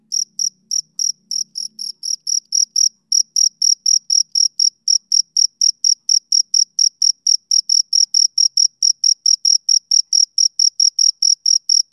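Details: Male cricket on a summer evening, chirping in a steady fast series of short, high, clean pulses about two per second, loud and unbroken; a faint low murmur under the first two seconds, otherwise nothing else.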